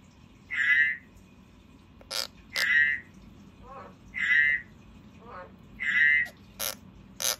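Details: Frog calling, likely a pet kept indoors: harsh croaks centred mid-high, about every 1.7 seconds, alternating with softer rattling notes and sharp clicks.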